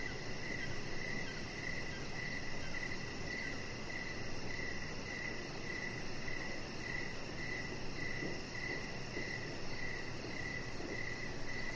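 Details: Evening crickets heard from an outdoor deck, a clear train of brief chirps repeating steadily every half second, a faint high shimmering pulse above, and a constant low background drone.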